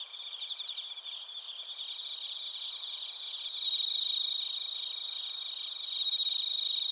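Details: Crickets, including bell crickets, chirping in Narita, Chiba, Japan, recorded on a TASCAM Portacapture X8; a nearer caller grows louder partway through, its high pulsed chirps repeating about four times a second over a steady background trill.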